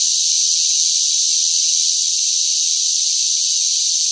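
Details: Loud summer cicadas in the hot heat, one seamless shrill hiss-like drone at steady loudness throughout, no other sounds mixed in.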